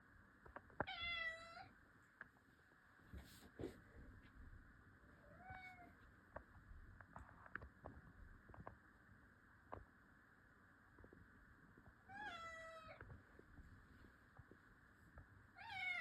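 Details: Cat meowing indoors: a few separate wavering meows, each under a second, spaced several seconds apart, over a steady background hum with soft handling noises.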